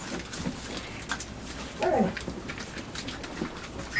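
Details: Labrador Retriever puppies, five weeks and two days old, investigate a box placed in their night pen, biting it and wrestling. A brief whimpering squeal comes midway over constant rustling and scratching of cardboard and paws.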